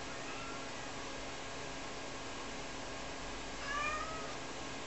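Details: Two-year-old Ragdoll cat Rara, left alone indoors while her owner does laundry, gives one short rising-then-falling meow near the end, after a long stretch of steady household hum.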